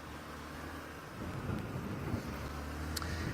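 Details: A low vehicle engine rumble with some wind noise and a faint click, with no animal calls heard.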